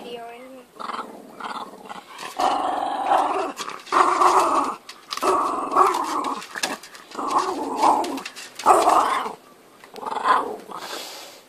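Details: A young puppy, said to be angry while playing with and guarding its favourite toy, gives long rumbling growls in repeated bursts of one to two seconds with short pauses. People speak softly indoors in the background.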